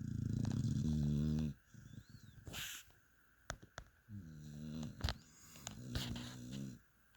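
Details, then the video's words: Mia the dog asleep, giving rough, low snores: a strong rumble at the start, then softer buzzy breaths later, with sharp clicks and a brief rustle between them. "Mia the amazing snoring dog."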